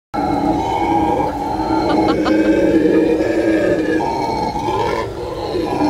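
Howler monkeys roar in a deep, rasping, continuous chorus that swells and surges without pause.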